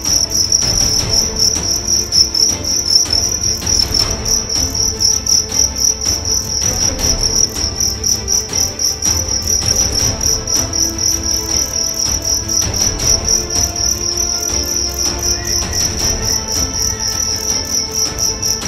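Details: Young fighting cricket from Karawang in West Java, size 7, 1.4 grams, under test. It keeps up a continuous shrill, high trill made of rapid pulses, roughly four per second, with faint low background rumble throughout.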